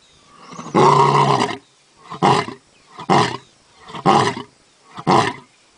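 A lion gives one long, deep roar, then a run of short, grunting roars about a second apart.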